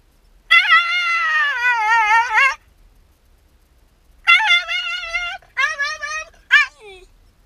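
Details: Yamato, a Shiba Inu left by himself as the owner goes out on an errand, gives drawn-out wavering howl-like whines, one long cry, then a pause and three shorter cries, each sliding downward; nothing else audible indoors.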